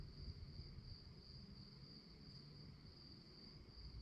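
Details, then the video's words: Crickets chirping at night: a steady, high, shimmering trill that holds without a break, over a low rumbling background. "relaxing sounds of crickets"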